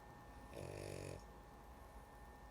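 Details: One brief throaty snore from a sleepy female dog, a rough buzzing inhale of about half a second, followed by quiet breathing and a constant background hum.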